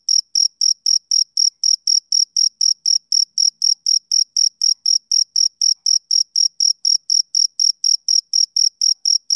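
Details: Summer-evening chirping of a male cricket, a long unbroken run of crisp, high-pitched pulses repeated roughly four times a second at an even volume over a silent background.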